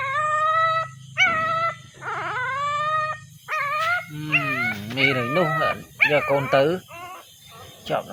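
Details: Puppy crying for its mother: long, level high whines followed by shakier, wobbling yelps that rise and fall, overlapped by a person's voice and a steady low hum.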